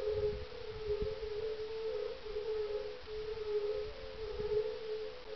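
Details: At dusk on a mild evening of 30 May 2011, a chorus of European fire-bellied toads (Bombina bombina) gives soft, melancholy, fluting 'oong, oong' mating calls that overlap into a steady hum. They are calling at a small ice-age pond in farmland near Parstein, northeast of Berlin.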